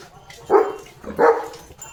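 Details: Leo, a pet German Shepherd, during his morning routine on a farm, gives two short, hoarse barks about two-thirds of a second apart over quiet background noise.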